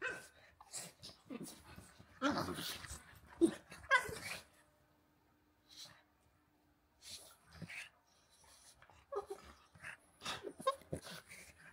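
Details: Two dogs, a pug named Walter and a husky named Rhett Butler, playing rough together; scuffling bursts of grumbly growls and snorting breaths come in clusters, with quiet pauses between rounds.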